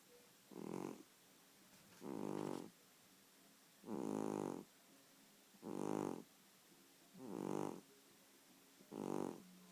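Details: Domestic cat snoring: six rhythmic, rasping, buzzy snore bursts, each about half a second long and repeated roughly every two seconds, with quiet pauses between breaths.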